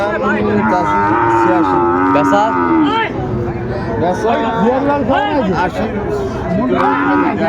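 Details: Sahiwal bull calves at Ambari haat cattle market on 13 January 2025: a long, steady low moo held for about two seconds, then shorter bellows, over constant crowd chatter and men haggling over prices.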